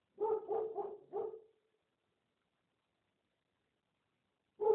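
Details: Barking of street dogs, four quick barks in a tight series within about one second, then silence and a final bark at the end.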